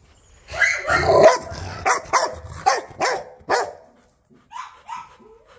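A Rottweiler gives a rough opening burst, then a run of deep, harsh barks.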